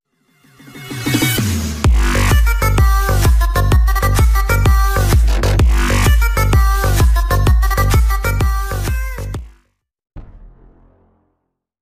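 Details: Pulsing electronic dance music with a heavy, regular bass beat cuts off abruptly near the end, with no animal sounds.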